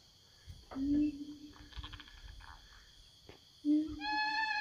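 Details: Siamang roaming the forest, calling back and forth to companions: two short low booming notes a few seconds apart, then a higher rising whooping note beginning at the end, with faint rustling in between.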